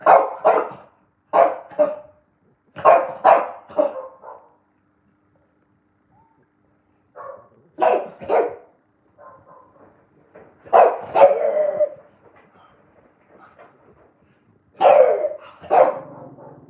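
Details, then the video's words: French bulldog barking at a washing machine indoors: bursts of two or three quick, hoarse barks, pausing a few seconds between bursts, with softer grumbling whines between them. "French bulldog barking at washing machine"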